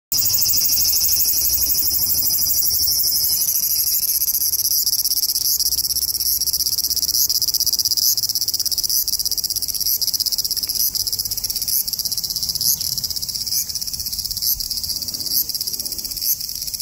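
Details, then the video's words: A large brown cicada (Graptopsaltria nigrofuscata) sings at 21 degrees, a steady, high, sizzling drone with faint pulsing throughout. "Large brown cicada singing at 21 degrees (Graptopsaltria nigrofuscata)"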